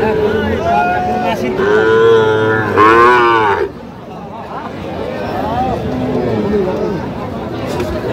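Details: Sahiwal bull calf at a cattle market in Sirajganj, Bangladesh, giving a long loud moo with rich stacked harmonics lasting about two seconds, then quieter lowing, over crowd chatter and voices.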